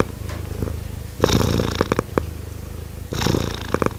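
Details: Purring kittens give a continuous low droning rumble, rising into louder rough surges around 1.3 and 3.3 seconds, with scattered soft clicks in between.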